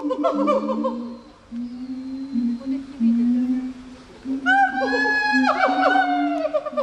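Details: Several gibbon calls together: a sustained low tone stepping between pitches, fast repeated notes early on, then loud bright whoops with sharp drops in pitch in the second half.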